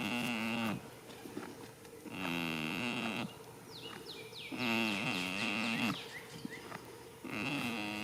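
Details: First day of spring, a goat sleeps in a field and snores in regular, buzzy, humming pulses about every two and a half seconds, while small birds chirp busily in between.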